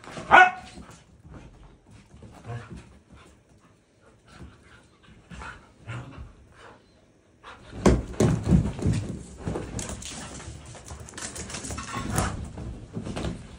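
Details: Puppy Balto and his brother Bombón chasing each other in play indoors, the puppy biting Bombón's tail; an early sharp yelp, soft growls and scuffling, then a long stretch of rough, noisy play sounds and barks.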